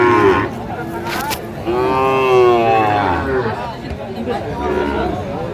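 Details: Sahiwal bull calf at a cattle market in Kurigram, Bangladesh, in March 2025, giving a drawn-out harmonic moo that swells near the middle, with a shorter low call after it, over crowd murmur and background music.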